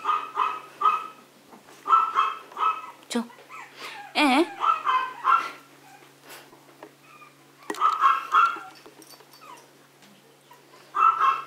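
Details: Playful Maltese or Yorkshire terrier puppies giving repeated shrill barks in several bouts, with a brief squeal and a human voice partway through, and bumping noises between bouts.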